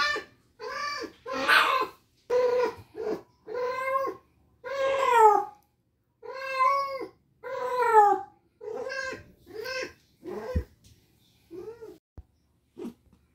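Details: Indoors, spayed cat Mandy, whose ovarian remnant syndrome has kept her in heat for 19 days, calls with a string of loud, bending meows. Near the end the cries grow shorter and softer, then trail off.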